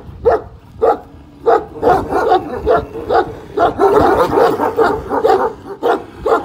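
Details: One-year-old Kangal Pars, at a Kangal dog farm, barks back at the giant dog Samuta. Sharp, resonant barks start spaced apart, then crowd together into a rapid run of over two per second.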